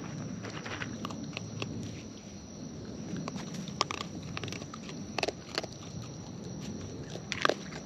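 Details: Wild raccoons eating close up, with natural chewing: dense irregular wet clicks and crunches scattered throughout, a few sharper snaps near the end, over a low steady background hiss.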